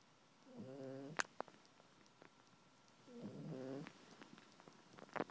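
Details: Casey, a female Maltese poodle, snores while cuddled comfortably in a blanket on the couch: two short, low, buzzy harmonic snores about two and a half seconds apart, with faint soft clicks and rustles between them.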